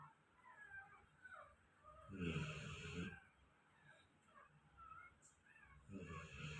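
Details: A sleeping golden retriever snores quietly: a long rasping, wheezy breath lasting about a second, then a pause with faint whistly nasal tones, and another rough snore starting near the end.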